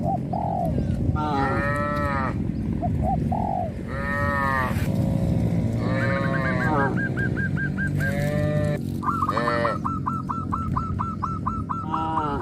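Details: A herd of tame village cattle calling to their companions, traditional livestock that walk to green pasture each morning and return to the pen in the evening. Long drawn-out moos recur every few seconds, overlapped by rapid repeated honking from fowl.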